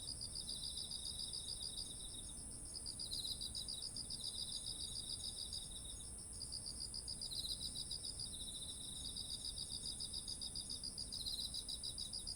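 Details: Insects of autumn singing by ripened rice paddies, captured with a ZOOM H1essential: bursts of fast beaded chirping alternate with a lower steady trill, all above an unbroken high-pitched whine and soft background hum.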